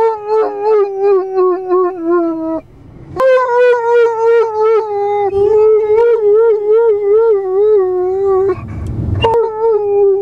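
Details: Pet Irish Wolfhound Liam sings: a long run of pulsing, wavering howls with rhythmic rises and dips at a steady mid pitch, broken by brief gaps and a low rumbling noise near the end.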